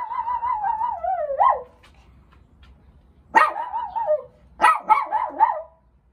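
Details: Poodles out on a morning walk in early summer; one voice gives a long, wavering, tonal howl-like note that dips at its end, then after a pause two more quavering bursts, against a quiet background.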